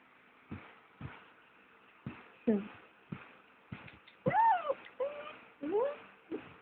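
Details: Pet dog Cookie, female, cries and whines at 1am on 29 August while her owner packs for a one-day trip to Turi Beach; several drawn-out, bending high whines follow short sounds, with a person talking softly to her.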